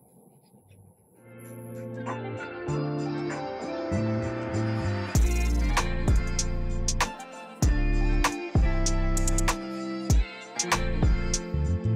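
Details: Loud guitar-driven music with a strong beat fills the whole stretch, and no animal calls are present.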